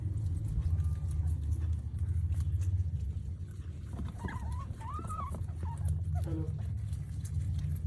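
A guinea pig gives a few short, wavering squeaks over a low rumbling background.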